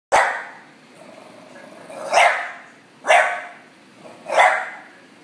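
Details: Female bulldog barking when ignored: four sharp single barks spaced about a second apart, each a quick loud burst fading fast, in a quiet room.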